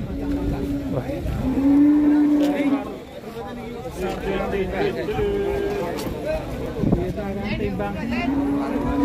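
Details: Jumbo cattle in Indonesia as their weight is checked: several low, droning moos rise and hold among loud men's voices and chatter around the pen.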